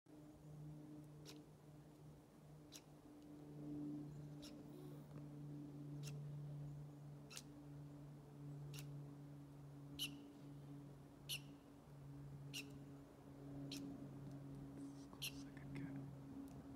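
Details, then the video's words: Squirrel squeaking and chirping: short, sharp, clicky chirps repeated steadily about every one and a half seconds, some doubled, over a low constant electrical hum in a quiet setting. "Squirrel squeaking and chirping"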